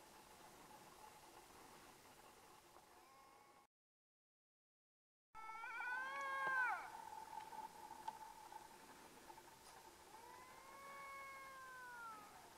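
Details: Two Canada lynx squabbling over dead meat buried in the snow in Yukon: drawn-out, wavering yowls with stacked harmonics, one loud arching cry midway and a falling pair of moans near the end over a steady low hum.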